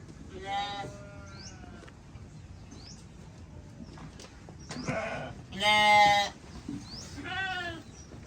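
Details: Several sheep together on a beautiful day, giving short quavering bleats one after another, a loud close bleat near the six-second mark flanked by softer ones, with faint swept bird chirps between calls.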